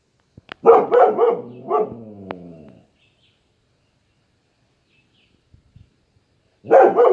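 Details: Pet dog defending its home, barking at passers-by far off in the distance: a burst of loud, rough barks sliding into a drawn-out, wavering howl-like whine, a pause of near silence, then another sharp bark burst.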